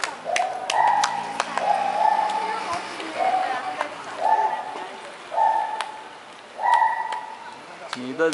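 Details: A white-handed (lar) gibbon, Hylobates lar, in Kaohsiung gives a series of clear, rising hoots repeated roughly every second.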